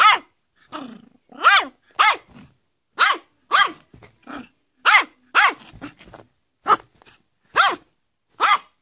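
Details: Yorkshire Terrier barking: about a dozen sharp, high-pitched yaps with arched tonal harmonics, delivered in an irregular run with short gaps, some softer short barks between the louder ones, and no other sounds.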